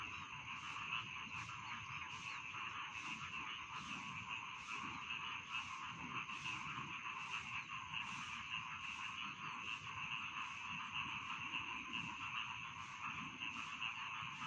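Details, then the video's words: Rice field frogs in full chorus: a constant buzzy trilling hum punctuated by crisp clicking pulses repeating roughly every half second throughout. "Bedtime Frog Sound || Suara Katak Sawah Pengantar Tidur"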